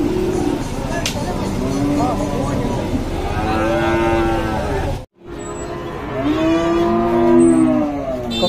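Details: Cattle at Dhaka's biggest weekly cattle market on 24 September 2022. Several drawn-out, arching moos rise and fall, overlapping one another, under constant crowd chatter and bargaining voices.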